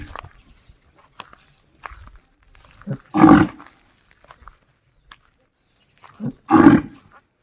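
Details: Calling a companion home, a desi bull in the village utters two gruff, noisy bellows about three seconds apart, each preceded by a short low grunt, with soft clicks and rustles around them.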